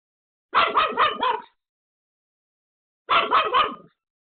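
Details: Pomeranian Pomeko, alone at home, yaps hard at a surprise visitor: two bursts of four and three fast, high-pitched barks separated by silence.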